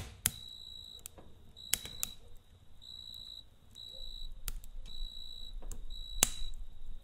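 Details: A cricket chirps in short, high, ringing trills at night against the sharp pops and crackles of a campfire.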